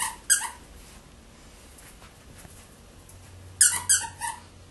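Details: Chihuahua squeaking: a short, high, harmonic squeal near the start, then after a quiet gap three quick squeaks in a row that rise and fall, each ringing with stacked overtones, over a low steady hum.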